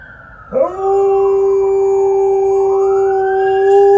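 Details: Liza, an Alaskan Malamute, howls at an approaching ambulance: a steady, drawn-out mid-pitched tone held for about three seconds, while the siren sweeps down and back up across it.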